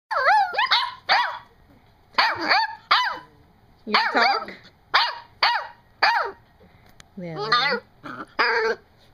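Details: Seven-week-old puppy 'talking' indoors to its owner. A run of high, wavering whines and yips, each under half a second, rising and falling in pitch and coming in clusters about a second apart, with a woman's voice briefly between them.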